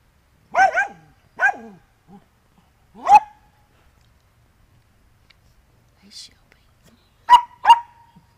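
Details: Andy the Dachshund, muddy from digging, gives sharp barks in pairs and singles with quiet gaps between, a soft yip mid-clip, and a final quick double bark.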